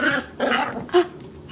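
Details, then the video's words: Male dog answering a person's repeated no's with short throaty growl-barks, two rough bursts followed by a brief higher yelp-like note, indoors. "Cute Puppies Barking"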